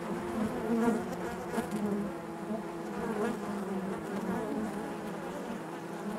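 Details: Steady hive hum of honey bees, a thick, even drone of many wings with small wavering tones drifting through, no single bee standing out for long.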